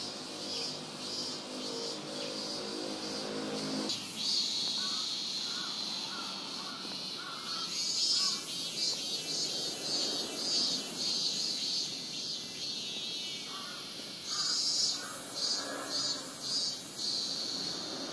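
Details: Robust cicada singing at Rokugo Shrine in Ota, Tokyo, recorded on a Sony PCM-M10. A shrill, steady high drone carries pulsing bursts, with a low rumbling sound during the first four seconds.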